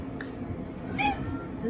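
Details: High-voiced black-and-white female cat meowing affectionately after a bath; a short faint cry near the start, then a clearer drawn-out meow about a second in, with soft background murmur and low hum.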